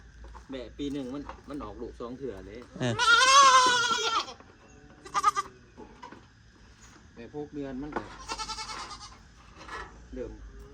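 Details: Goats among four more newly bought: a loud, harsh, wavering bleat bursts out midway, a second shorter bleat follows near the end, with people talking in the gaps between calls.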